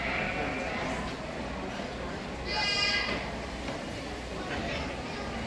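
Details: Pygmy goat at a 4-H showmanship competition at the Big Fresno Fair, 2018. A single wavering, nasal bleat lasting about a second rises mid-clip above steady crowd chatter and voices.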